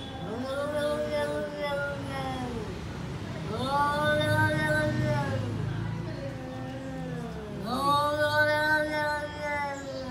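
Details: Two cats, nicknamed lion cat and tall cat, in an everyday face-off as lion cat steals tall cat's food: long drawn-out harmonic yowls that rise and fall, in three arching waves several seconds apart, with low background rumble.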